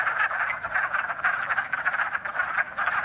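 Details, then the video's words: Pickerel frogs at a pond in early spring give a low, rough snoring croak, steady and grating like a creaking door or a soft growl, with pulses running together. "a mystery sound like creaking door or a growl. Spoiler alert: it's Pickerel Frogs!"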